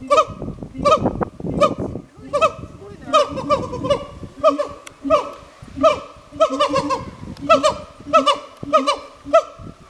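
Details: Captive pair of siamangs exchanging calls at a zoo in Kagoshima, Japan: rhythmic, goose-like honking barks with strong harmonics, roughly eighty per minute, and a rough, noisy stretch early on.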